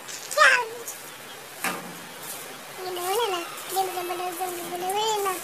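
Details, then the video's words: Kittens mewing, with a short squeak followed by longer, bending meows that swell and fade. The calls come in quick succession over a faint, steady room hiss. "Funny Cats and Kittens Meowing Compilation"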